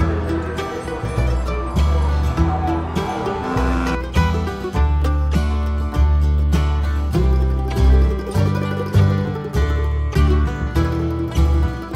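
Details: Upbeat string-band music with banjo-like picking and strong bass continues throughout, with no animal sounds present.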